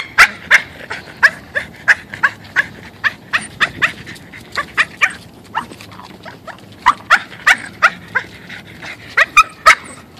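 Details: A male Boston Terrier, excited to be going on a walk, gives a fast run of short, high yips and barks, several each second with brief pauses, with faint outdoor background noise.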